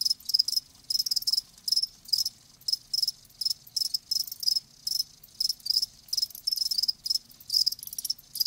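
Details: Live crickets chirping in short bursts of bright, high trilled pulses, about two per second, steady and loud with no other sounds.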